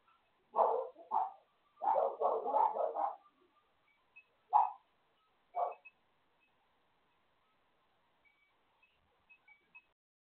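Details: Neighbouring dog barking as part of the daily noise next door: two sharp barks, a rapid run of about five more, then two spaced single barks before the yard falls quiet apart from faint high tones.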